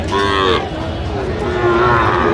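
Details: Sahiwal bull calves at a Saturday cattle market in Jamalpur, Bangladesh, on 31 August 2025: two mid-pitched, harmonic moos, a short one at the start and a longer, wavering one near the end, with market chatter and hum behind.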